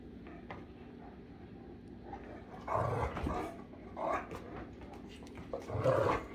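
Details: Great Danes Rhapsody and The Heartbreaker being affectionate with each other, giving three short low rumbling growl-like bursts with a whiny upper tone, the last slightly longer, over a quiet background.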